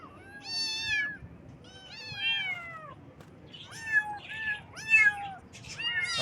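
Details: Baby kittens meowing in the morning: a run of about six high, wavering meows with rich harmonics, each rising then sliding down, spaced roughly a second apart, the later ones shorter and overlapping.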